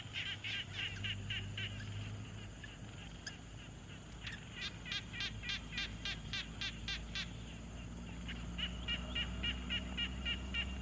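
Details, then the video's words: Frogs calling at a quiet pond, field-recorded with a Tascam Portacapture X6: overlapping series of quick rattling pulses, several callers answering one another, with a soft low background rumble. "Frog Sounds"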